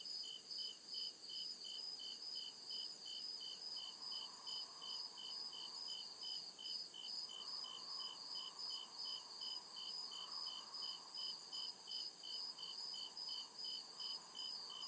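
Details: Night chorus of crickets deep in a forest, regular bright chirps pulsing roughly every 0.4 seconds over a constant high insect buzz, with a soft mid-range drone swelling and fading in the background.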